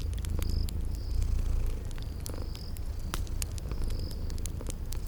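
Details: Cute sleeping cats purring beside a crackling fireplace in a cozy spring garden ambience. A continuous low, throbbing purr swells briefly near the start, with scattered crackle pops and repeated brief high-pitched chirps above.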